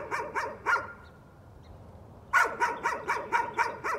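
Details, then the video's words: Dog heard in a bout of nuisance barking: three quick sharp barks, a short lull, then a faster run of about seven evenly spaced barks. "Nuisance barking again."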